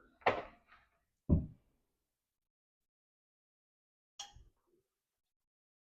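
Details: Indoors, two sharp door thumps come in quick succession, then silence, then a lighter knock near the end; no animal voice is heard.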